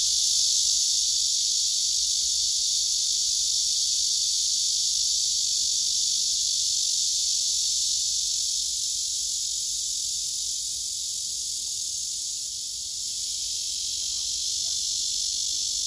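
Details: Continuous high buzzing drone from a singing male cicada on a tree among other cicadas, unbroken and even in loudness, with a slight dip in level late on and no other clear sounds.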